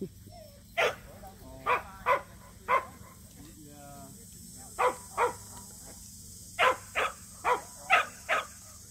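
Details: First-ever local match show for Samoyeds Mozart and Zuko: steady single barks repeat every second or so, with a short gap midway, over a background of people talking.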